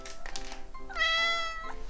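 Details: Domestic cat, one of seven living together indoors, meows in reply to its owner singing "meow if you're happy"; a clear, drawn-out, harmonically rich meow near the end, preceded by brief chatter and accompanied by light background music.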